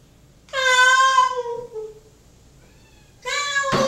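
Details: Domestic cat Mocha, shut in a bathroom while waiting for dinner, gives a long loud harmonic meow that slides downward, a short pause, then a second meow cut off by a sharp knock in a small room.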